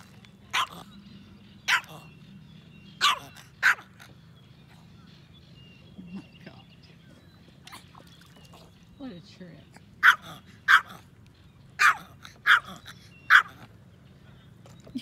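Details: Yorkshire Terrier, a pet yorkie said to love fishing, giving sharp, bright single barks in loose pairs and clusters, spread unevenly over fifteen seconds with quiet gaps between them.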